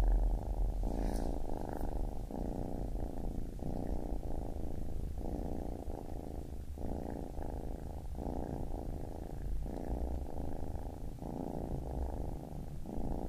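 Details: Long stretch of baby kitten purring: a relaxed, deep rumble repeating in breath cycles of under a second, even and calm, with a faint soft tick near the start.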